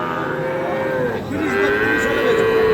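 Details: Sahiwal calves for sale at a busy cattle market: one moo falls away at the start, then a second low, drawn-out moo rises gently and holds to the end. Bargaining voices and crowd noise run underneath.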